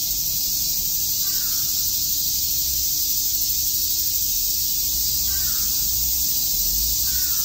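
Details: On a summer day at Shakujii Park, Tokyo, cicadas keep up a constant high, hissing chorus; faint caws come three times and a low rumble runs underneath.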